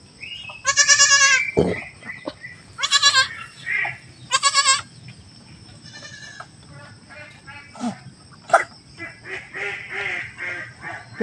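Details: Pet goat that has just given birth, with people tending the newborn; three strong, trembling bleats in the first five seconds, then mostly Tagalog speech with a few fainter bleats and a sharp knock.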